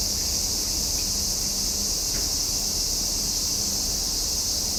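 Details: Steady summer chorus of cicadas, a dense high shrill drone sustained without a break from start to end, even in loudness, over a soft low background hum.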